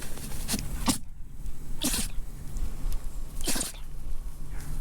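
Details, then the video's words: Red male toy poodle born January 2021 in Japan sneezing: short sharp broadband bursts, about four in under five seconds, the loudest near the middle and end, over a steady low hum. "Sneezing Toy Poodle"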